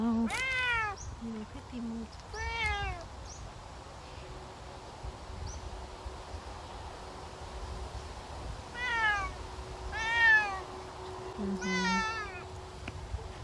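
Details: Savannah cat on a summer walk, meowing in a series of harmonic calls: two early meows, a pause, then three rising-and-falling meows near the end, with faint background hum.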